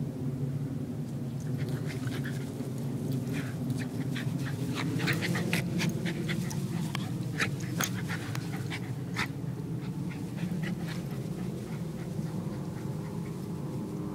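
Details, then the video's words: Gracie, a wire fox terrier, playing rough with foster brother Costello, chasing and dodging in turns; rapid, uneven breathy puffs and scrabbling bursts over a steady low indoor hum. "Rough-housing, terrier style"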